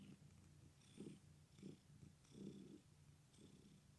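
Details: Male pet cat with an injured leg purring indoors: a low, steady rumbling drone with soft rhythmic swells roughly every three-quarters of a second, each breath adding a faint airy hiss.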